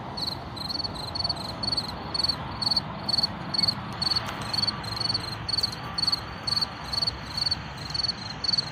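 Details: A field cricket, heard but not seen, chirps steadily among wildflowers, short high trilled bursts about twice a second, with background car noise, wind and a bird call.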